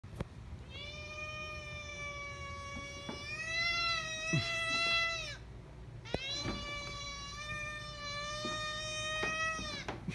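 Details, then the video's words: Cat giving two long, drawn-out meows, each about five seconds, steady and tonal with a slight rise at the start and a falling end, separated by a short pause; faint background hum. "long meows pt. 28 - two long bangers"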